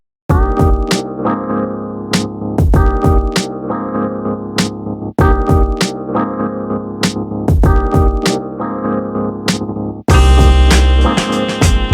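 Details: Upbeat electronic keyboard music with a steady drum-machine beat, the piano phrase repeating about every five seconds and a brighter, fuller section bursting in near the end, with no animal voices anywhere.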